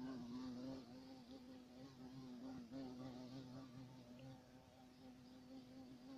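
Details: A continuous low hum from a European carpenter bee (Xylocopa violacea), whose wingbeat drone wavers slightly in pitch and loudness, dipping briefly near the middle before steadying again, with faint background noise.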